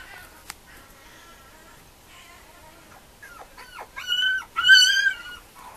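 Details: Female Mame Shiba puppies whimpering: faint soft whines at first, then a burst of loud, high, wavering cries rising and falling over the last two seconds.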